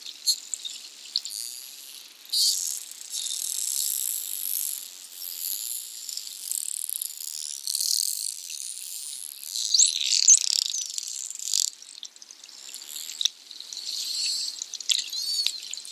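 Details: Bottlenose and Atlantic Spotted dolphins playing together in the tide line off Bimini, Bahamas, in June, heard underwater: overlapping high, curving whistles and squeaks rise and fall in quick succession, with broadband bursts of pulsed chatter between them.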